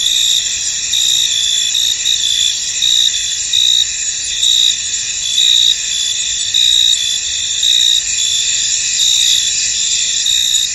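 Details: Crickets in a misty, foggy field: a dense, steady high-pitched trilling chorus with brighter pulsed chirps swelling roughly every second, layered over a continuous insect hum.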